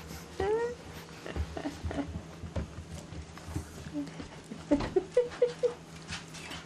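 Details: Seven-week-old English Bulldog puppies playing with their toys and being washed at a ranch; a thin rising whimper early on, then a quick run of four or five short high yips near the end, over a steady low hum and human voices.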